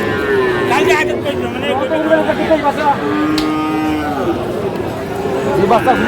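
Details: Friesian and crossbred bull calves, about four months old, at Aftabganj cattle market in Dinajpur on 2 October 2024. Moderately pitched drawn-out moos, one long steady call held about two seconds, amid men bargaining and market chatter.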